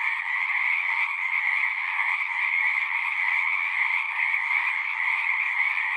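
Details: Many frogs calling together at a pond in a horse pasture, captured on a Zoom recorder, form an unbroken wall of rapid trilled croaks, even in loudness, with a shrill upper layer over a lower buzzing one.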